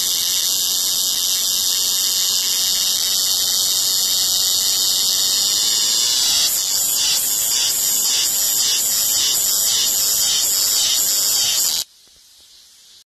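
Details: Cicada singing: an intense, loud, high-pitched shrill drone with layered tones, turning into a pulsing, throbbing rhythm midway, then stopping abruptly, leaving faint background hiss.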